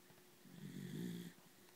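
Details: Female schnauzer sleeping indoors, giving one soft, low snore that swells and fades over about a second in the middle of the clip, with quiet room stillness before and after.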